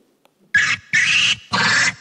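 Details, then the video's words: Lemur vocalizations exchanged among themselves, meaning unknown, played back to infants in a category-learning experiment: three harsh, noisy calls of about a third of a second each, evenly spaced after a brief silence. "L'une d'entre elles utilise des vocalisations de lémurien. Je vais vous faire écouter."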